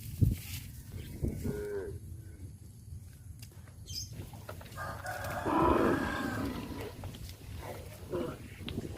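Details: Tame cows being herded toward a grazing field in a village: a short harmonic moo midway, rising and falling, over a low rumble of hooves and movement, with a fainter call earlier.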